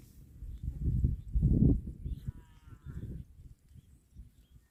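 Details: Cow from a compilation of funny cow sound clips giving low, deep moos, a long drawn swell in the middle followed by shorter, softer lowing, with a faint higher whine in the background.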